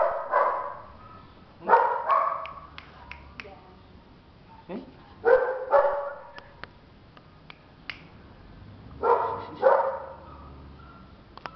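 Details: Two-month-old female Belgian Malinois puppy barking in paired bursts, short rough yaps repeated about every three to four seconds, with scattered clicks and taps in between.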